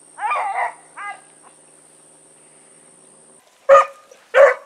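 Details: Blackreek pack dogs on an evening run, 16 August 2014, named Choco, Dino, Johnny Ringo and Mingo; a drawn-out wavering bay and a shorter one, a pause, then two loud abrupt barks close by.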